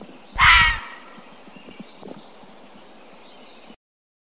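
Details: Fisher, known as fisher cat, letting out one short rasping scream near the start, then several seconds of faint background with scattered soft ticks and a distant high whistle.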